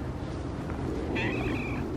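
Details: Domestic cat that wandered into a yard, being petted outdoors during Christmas-light hanging; one brief, thin, high meow with a slightly falling tail, set over a steady low rumble.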